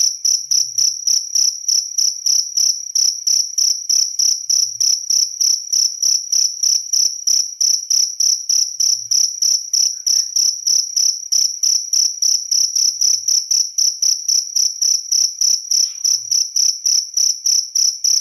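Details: Cricket song of fast, evenly spaced high chirps, roughly three each second, sustained without pause for the whole recording, clean and loud with nothing else audible.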